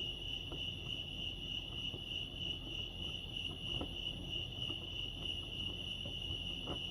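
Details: Night-like cricket chorus from Lake Arrowhead, California: a bright, sustained high buzz of rapid chirps at a fixed pitch, accompanied by occasional light clicks and a gentle low hum.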